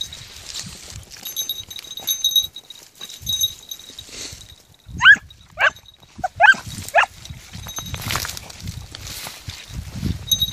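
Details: Red bluetick beagle puppy, 20 weeks old, practising hare hunting at night: four short, shrill yelping bays bunched mid-clip, each sharply rising then dropping, over steady high insect chirring and rustling steps in vegetation.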